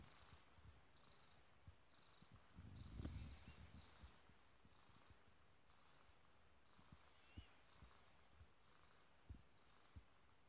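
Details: A kitten purrs quietly, its low pulsing rumble steady throughout, swelling briefly about three seconds in over a soft hiss of background noise.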